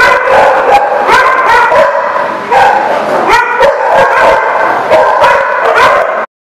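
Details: Yipping and barking at The Barking Lot, 23 November 2018, comes as constant, overlapping high barks with whine-like tones, several each second, before cutting off abruptly near the end.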